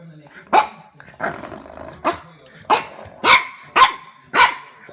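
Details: French Bulldog puppy barking at a door stopper indoors: seven hoarse, gruff barks about every half second to second, slightly growly, with faint human voices underneath.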